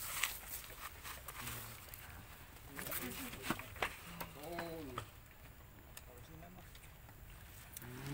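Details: Baby monkey Leo crying and begging its mother for milk after she refuses to nurse it: a string of short wavering arched wails, several in a row, with rustling, footsteps and outdoor background noise.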